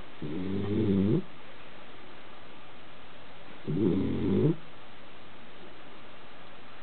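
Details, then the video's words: A Basenji sleeping on the couch snores, with low, rumbling breaths about every three and a half seconds. "Kona (Basenji) Sleeping & Snoring on the couch"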